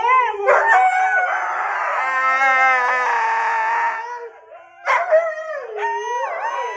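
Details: Husky howling: a long, wavering, sung-out howl of about four seconds with rich overtones, then a short break and a rising, yodelling second howl that bends up and down in pitch.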